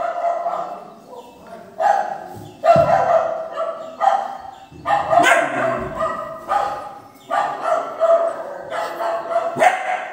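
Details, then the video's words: Doberman puppy, three months old, reacting to recorded dog barking played on a speaker; sharp barks come in irregular bursts every couple of seconds, with a steady ringing undertone between them. "fake dog barking sound play on speaker ( dobarman 3 month puppy agrarian)"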